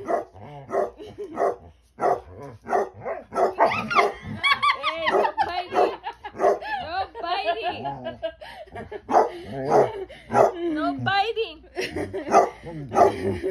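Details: Two Basset Hounds, Ari and Musta, barking and talking back: loud, deep barks in quick irregular bursts, then a run of wavering, yodel-like howls with rising and falling pitch, before sharp barks resume, the two voices often overlapping.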